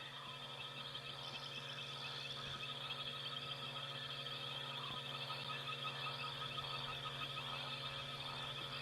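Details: A night chorus of many frogs calling together over steady insect trilling, in the African bush after sunset (Mara, Kenya or Sabi Sands); frog.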